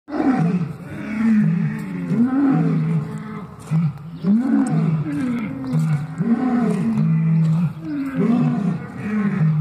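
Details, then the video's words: Lions heard in the morning on waking: a loud series of deep, grunting roars and moans, five or six bursts that rise then drop in pitch, repeated every one to two seconds with short pauses between. "Waking up to talking lions."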